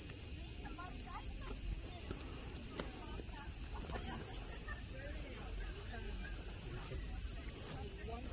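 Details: A constant high buzzing cicada chorus over grassy Nara Park, Japan, home to friendly deer; soft murmuring and light ticking sounds sit quietly below the steady drone.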